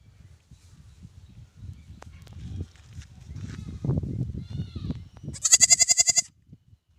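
A newborn lamb gives one high, quavering bleat after several seconds of low rumbling and handling noise.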